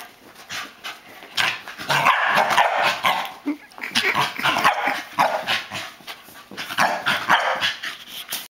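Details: Corgi barking excitedly while chasing a flashlight beam and spinning in circles: sharp, irregular bursts of barking, roughly two per second, continuing through the whole stretch.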